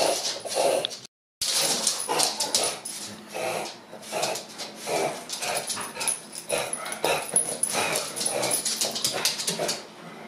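A pug huffs and snorts in quick breathy bursts with a few whimpery yips, over television sound in the background.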